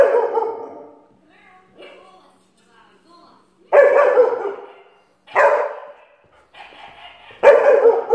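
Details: A long-haired German Shepherd barking at the TV gives deep, loud barks in short bursts a second or two apart.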